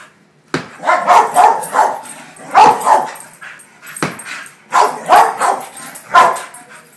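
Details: Wheaten terrier pet dog spinning in circles, letting out excited barks and yips in clusters of two or three, each cluster about a second apart.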